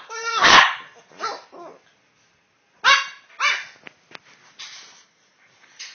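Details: Two Boston Terriers "talking" to each other, one seeming sleepy, make harmonic, wavering grumbles and short yips in bursts, like dogs talking back and forth.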